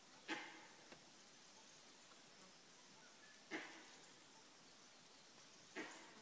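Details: A langur in Kanha National Park gives short, harsh alarm barks spaced a few seconds apart on an early morning in March, warning of a predator nearby.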